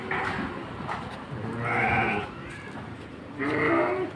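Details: Petetan feeder sheep in a pen at Kepuh, Padalarang, West Bandung, Indonesia: three nasal, quavering bleats in quick succession, each about half a second long, over faint barn noise.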